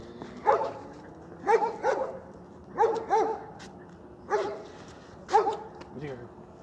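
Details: Kerry Blue Terrier barking in a steady series, about five loud sharp barks, some doubled, spaced roughly one second apart.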